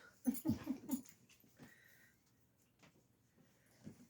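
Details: Goldendoodle puppy at play indoors, chasing a tossed toy, letting out a quick burst of breathy, wheezy grunts and huffs in the first second, then quieter snuffles with brief human voices nearby.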